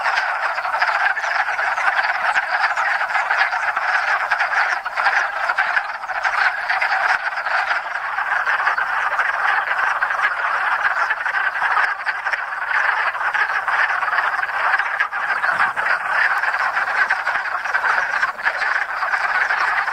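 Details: Hundreds of wood frogs (Lithobates sylvaticus) in spring breeding chorus at a small pond in Enosburgh, after overwintering frozen in woodland leaf litter; dense, continuous clucking croaks overlap into a steady, rattling chorus with no pauses.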